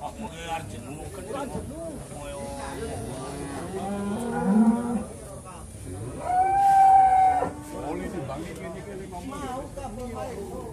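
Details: Jumbo Pegon cattle on a livestock weighing scale, first read as 1100 kg before the scale proved faulty: a low, drawn-out moo midway, then a higher sustained tonal lowing, over steady chatter from people nearby.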